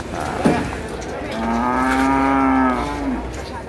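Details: Cattle at the Masbagik animal market, NTB, where a loose Brangus bull ran amok; a short sharp sound, then one long steady low moo lasting nearly two seconds, with crowd noise behind.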